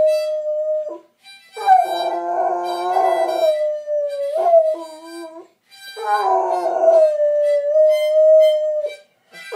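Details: Airedale Terrier that loves to sing the blues howls with a blues harmonica, holding long steady notes that waver slightly, broken by brief pauses, while harmonica chords swell over the howling.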